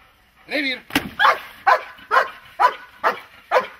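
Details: Dog during protection training, a person's voice then rapid rhythmic barks roughly every half second, each bark loud and harsh, continuing to the end.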